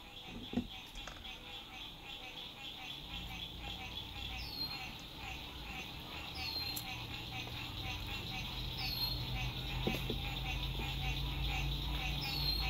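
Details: Frogs singing at sunset beside a lake at a lakeside RV campsite in spring 2021, in fine weather: a dense, steady trilling chorus of rapid pulses, with short falling whistled notes repeating overhead and a low rumble of road noise rising underneath.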